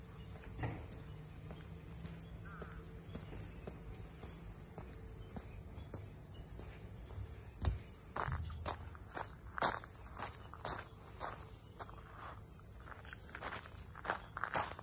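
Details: Cicadas calling around the traditional boathouses of Ine no Funaya, a port townscape north of Kyoto, Japan: a steady, high, hissing drone runs throughout, with scattered footsteps and light clicks of someone walking.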